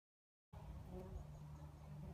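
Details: Red mason bee giving a steady low droning buzz with a clear, even hum and stacked overtones, starting abruptly after a brief silence and holding for under two seconds with faint background noise.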